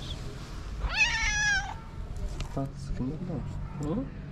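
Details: A single clear, slightly falling meow comes from a stray calico cat with a black-spotted nose on a Moroccan street. Faint voices and soft low sounds follow, with steady background hum throughout.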